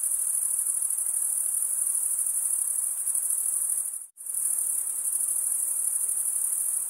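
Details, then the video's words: High steady trilling of crickets drops to a moment of silence just after four seconds, then resumes at the same shrill, unbroken level. "Most relaxing cricket sound for 8 hours"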